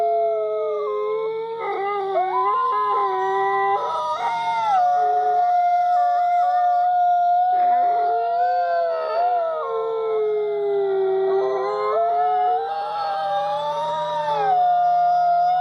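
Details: A chorus of dogs howls continuously for about fifteen seconds, voices rising, dipping and sliding against one another in mournful wavering tones, with short yipping breaks between sustained notes over a faint steady hum.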